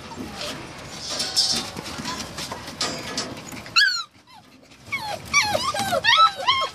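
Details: Samoyed and Siberian Husky puppies: after muffled handling noise and faint voices, sharp, high whining yelps break out in short, curling bursts, several overlapping near the end.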